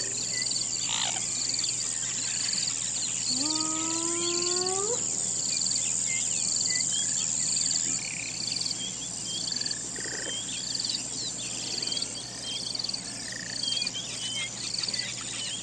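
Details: A hyena at night gives a single rising, whooping howl over a dense, shrill chorus of insects, which are described as cockroaches.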